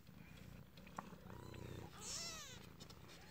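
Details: Newborn kittens in their den: a low purring rumble runs under soft, wavering high mews, with one louder curved squeal near the end.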